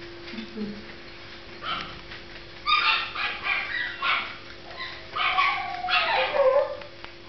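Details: Marti, a Toy Fox Terrier, voicing sadness with a run of short yelping, whimpering bursts that end in a thin, high, drawn whine, with a constant electrical-sounding hum underneath.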